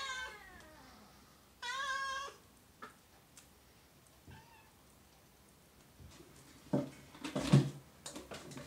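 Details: Oriental or Siamese cat meowing twice: a falling, drawn-out meow at the start, then a louder, steady, harmonic-rich meow about a second later, followed by scattered clicks and handling noises with quiet background.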